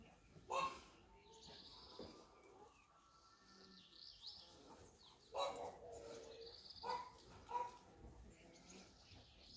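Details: Longcoat isabella (lilac) German Shepherd puppies giving short, high, squeaky whimpers and yelps, a few spaced tonal squeals rising above soft rustling and shuffling in the background.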